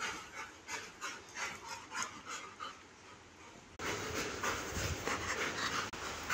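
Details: Labrador Retriever, kept with a German Shepherd, panting in quick rhythmic breathy bursts about three per second, then a louder stretch of rough, noisy breathing and rustling.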